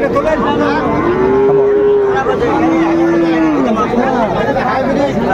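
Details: Friesian and cross-breed heifer calves at Raniganj cattle market, Dinajpur, 12 July 2024: two long, level moos, each lasting about a second, with steady tonal bands. Continuous crowd chatter and trader voices fill the background.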